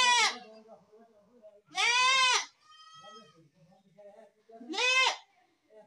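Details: Goat giving three loud, quavering bleats, the middle one longest, with low murmuring voices and a brief steady tone heard between the cries.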